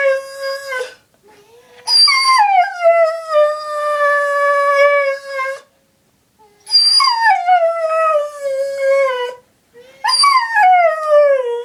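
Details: Miranda, a female house dog, answers her owner's sister's name being called with a series of drawn-out howls, each starting high, sliding down, then holding a long wavering tone, separated by short silences, with faint whimpers in between.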